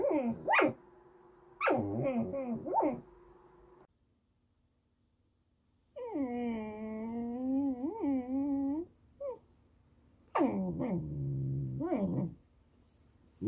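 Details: Young Goldendoodle dog whining for snacks or petting in a sing-songy way: a series of short, wavering, tonal whimpers, then a long, steady, slightly undulating whine of about three seconds, then more bending whimpers.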